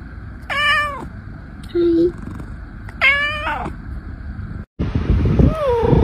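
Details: Domestic cat giving two drawn-out, wavering meows about two seconds apart, with a short squeaky tone between them, then an abrupt cut to noisy clatter and a sliding whine.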